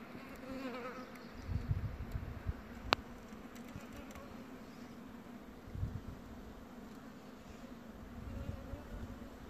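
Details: Queen bumblebee, Bombus vosnesenskii, chewing wood: a low droning hum with irregular crackly gnawing bursts, one sharp click near three seconds, and quieter stretches between bouts.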